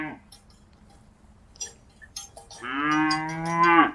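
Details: A cow in a pasture by a river gives a long, loud moo after a quiet stretch of scattered clinks.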